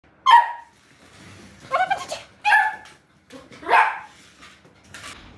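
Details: Very young beagle puppy, frightened on its first encounter with a remote control car, giving short, high, yelping barks at irregular intervals of about a second, with faint indoor background noise.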